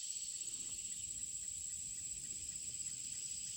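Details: A steady, high insect chorus by the Lumber River in Orrum, North Carolina, with daylilies in bloom: a continuous shrill whine over a dense hissing buzz, unbroken throughout; a woodpecker and another chirping bird were also noted nearby.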